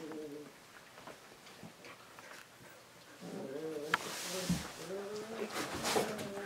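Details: Whimpering from husky puppies meeting water for the first time: a short whine at the start, then a longer wavering series of whines with sharp knocks and a burst of splashy noise.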